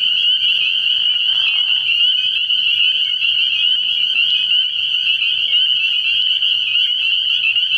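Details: Many spring peepers in full chorus at a frog pond on an early spring night, their piercing high peeps overlapping into a constant shrill trill, a short soft rustle early on and a faint low drone below.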